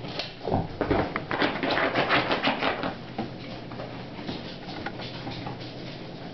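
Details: Only indoor rustling, tapping and soft clattering noises are heard, with no clear animal voice. The sounds are irregular and broadband, like handling or patter in a small room.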